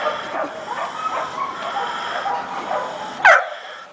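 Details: One-year-old Belgian Malinois dog gives a single sharp bark near the end, after a stretch of steady hissing background noise.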